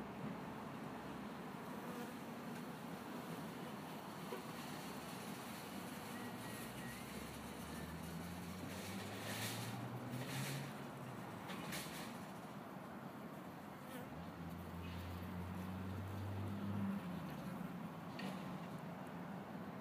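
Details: Honey bees pollinating agave give a low, droning wing buzz that rises and falls in pitch as they fly past.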